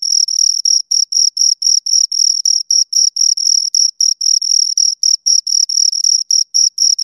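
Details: Pair of crickets producing rapid, evenly spaced high-pitched chirps, roughly four each second, every pulse a brief shrill trill with a thin upper harmonic; nothing else audible.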